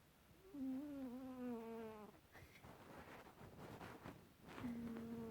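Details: Kitty, a pet cat, snores during an afternoon nap: low tonal buzzy snores with stacked harmonics that slide gently downward over about a second and a half, repeating after a noisy pause.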